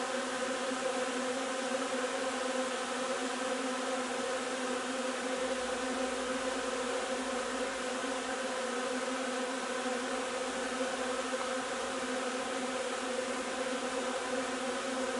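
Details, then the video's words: Honey bees at the hive collecting linden nectar, 3 June, producing a constant thick drone of overlapping hums with no pauses, plus a faint low rumble partway through. "alveare api durante la raccolta del nettare miele di tiglio"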